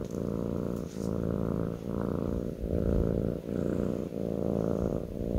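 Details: Purring kitten resting on a lap: continuous low vibrating rumble in even phases of about 0.8 seconds, each swelling and easing at breath changes, with a soft scratch of movement near the start.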